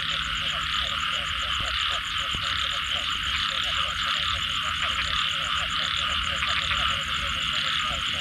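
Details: Dense chorus of frogs following rain: quick repeated pulsed croaks in a continuous overlapping stream, over a constant high-pitched hiss and a low background rumble.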